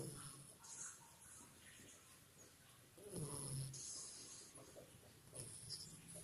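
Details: Rio, a two-month-old Labrador Retriever puppy, snores in sleep: soft, rough low breaths repeating irregularly, with a louder snort-like inhale around the middle and faint airy hiss throughout.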